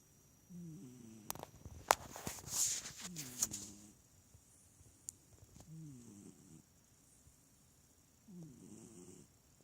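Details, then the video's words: A small cat asleep and snoring instead of purring; soft raspy breaths recur every couple of seconds, with sharp clicks and rustling handling noises in the first four seconds. "Snoring smallcat"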